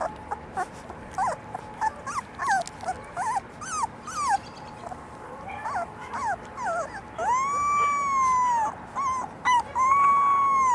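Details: Litter of four-week-old black and yellow English Labrador Retriever puppies; rapid overlapping high yips and short whines, then longer drawn-out whimpers that rise and fall near the end.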